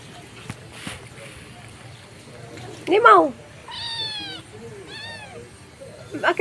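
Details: Stray mother cat meowing to call her kitten; a few clear, harmonic meows, one falling-rising and two arched, spaced about a second apart, with faint background noise and a brief sharp sound at the end.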